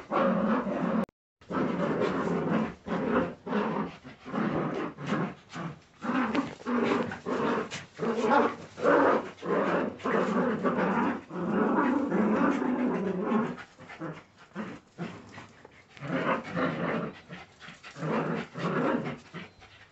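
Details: Jagdterrier puppies growl and yap almost continuously for twenty seconds, their harsh, noisy bursts coming about every half second with brief pauses, mixed with scuffling clicks.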